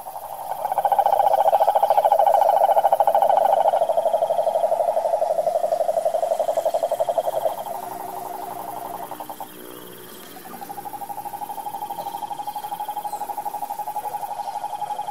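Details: ['Wild Brazilian cane toad (sapo cururu) in the sertão pantanal, calling a sustained, loud, buzzing pulsed trill that weakens midway, briefly stops, then resumes steadily, over faint background hiss and a high thin tone.']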